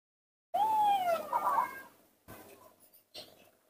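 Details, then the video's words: Young monkey Nomi, alone in the dirt of a front yard, lets out one long whistled cry that arches and slides downward. A wavering, broken tail follows, then two soft rustling sounds. "baby monkey Nomi‼️confused playing alone in the dirt of the front yard"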